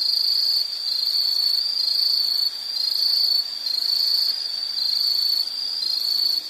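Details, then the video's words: A loud, shrill insect chorus pulsing in bursts of roughly one to two seconds. Each is separated by a brief dip in volume, giving a rhythmic throbbing trill. "Sound · Nature Sound of nature sounds scenery L · insect"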